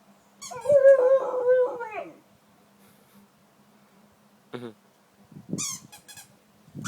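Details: Pet dog playing with his toy indoors gives a drawn-out, wavering whining howl lasting about one and a half seconds. Short high squeaks from the toy and faint rustling follow.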